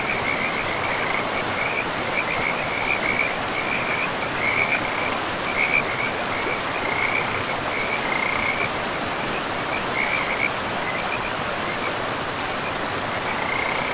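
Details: Frogs calling beside a river deep in a pristine forest of moss-covered land: short, raspy, trilled croaks at one steady pitch, repeating in quick runs throughout, over the constant rushing hiss of flowing river water.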